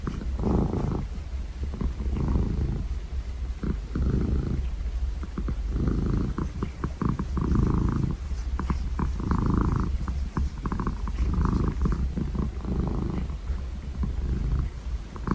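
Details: Pet cat purring close up: a continuous low rumble swelling and fading in cycles about every one and a half seconds as it breathes in and out.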